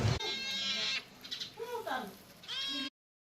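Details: Cat being cared for: two high, drawn-out meows, one at the start and one near the end, with a person's voice speaking between them.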